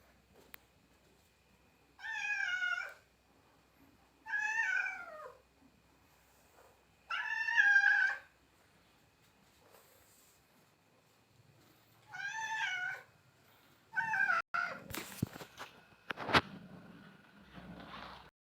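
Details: A domestic cat indoors calls for fish from the fridge, giving four drawn-out, wavering meows spaced two to five seconds apart, then a shorter fifth meow followed by clattering knocks and rustling.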